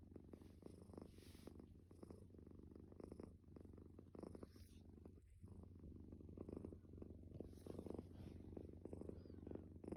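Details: Soft, low snoring from a sleeping calico stray cat: a continuous breathy rumble with faint, uneven pulses and light hiss, recorded quietly and close.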